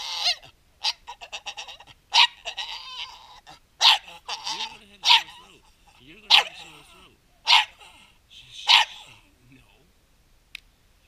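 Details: A male Staffordshire Bull Terrier 'talks' in the morning in bursts of whiny, yodelling moans, about one every second, apparently about his rocks.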